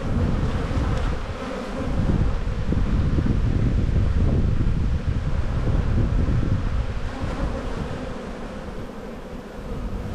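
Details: Honey bee colony at a spring hive inspection in the bee yard, 7-9-22. A broad, steady droning buzz is heavily overlaid by rumbling wind noise on the microphone.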